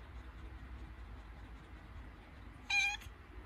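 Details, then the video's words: Labouring cat during contractions lets out one short, bright meow late in the recording, harmonic and fairly level in pitch, following near-silence with only faint room rumble. "Схватки перед родами у кошки 😱 / A cat is having contractions 😱"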